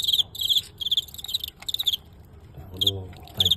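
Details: A fighting cricket chirps during an on-site bout against a famous Guangxi rival that ended in a narrow win. Bright, high pulsed chirps come in steady groups about every half second, then pause. A man briefly speaks Cantonese before two last chirps.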